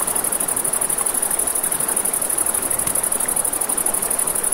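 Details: Crickets chirp in a constant, fast-pulsing high trill at night by a river, over gentle water noise and an occasional snap from a campfire.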